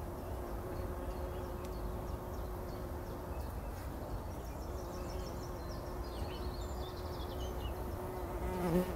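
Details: Bumblebees bathing in pollen inside poppy blossoms before sunrise in 2019; a steady, low, droning buzz holds almost without a break, with light bird twitters high above and a low ambient rumble.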